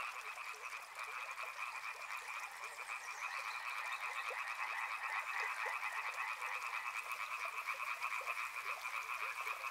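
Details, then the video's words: Riverside frogs in full chorus. A thick, pulsing mass of croaks at a mid and a higher pitch swells slightly after the first second, then holds steady. "Soothing sounds of river and frogs"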